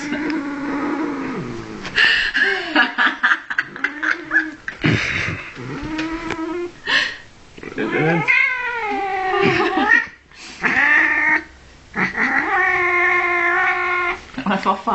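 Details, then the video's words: Blacky, a 15-year-old angry cat in Norway, caterwauls repeatedly: long wavering yowls and rising-falling wails, some harsh and growly, others high and tonal, between Norwegian speech and laughter. "The World's Most Angriest Cat Ever"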